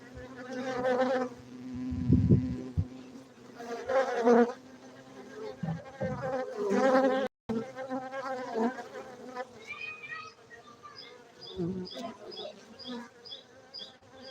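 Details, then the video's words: Honey bees humming around a beekeeping site in Gayo, Aceh, Indonesia, with loud buzzing passes and low rumbling bumps from handling or wind. Faint high chirps follow in the second half. "Markaz lebah madu gayo Aceh Indonesia bener meriah"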